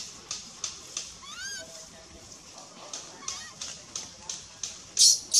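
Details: Begal, a baby monkey, cries as mother Lemon pays no attention. One clear rising squeal stands out early, followed by quieter bent wails, with regular ticking clicks about three times a second throughout.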